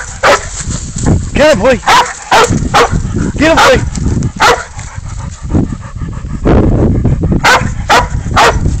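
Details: Pig dog baying up a goat during a catch-and-release hunt: loud, repeated deep barks with drawn-out howling yowls, several harsh bursts close together, and rough handling noise and rustling between them.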